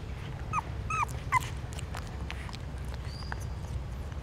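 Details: Hungry newborn puppies feeding from their mother at a pagoda stupa in Siem Reap, Cambodia give three thin, high whimpers with a slight downward bend within a second, followed by faint suckling clicks over a steady low hum.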